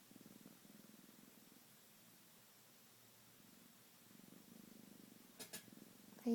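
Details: A faint, low pulsing purr from Shade, a pet cat woken from sleeping, fading in the middle and returning, with a short human voice and a sharp noise near the end.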